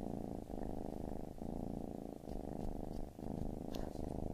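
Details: Baby kitten purring steadily indoors, a low continuous rumble broken by brief breath pauses roughly every second, with faint soft clicks near the end.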